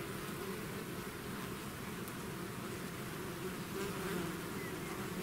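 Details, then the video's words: Bees swarming out of their hive fill the air with an even, continuous hum, layered tones in the low register and a faint hiss above, with no other sounds breaking through. "bees therapy swarm natural buzzing sound"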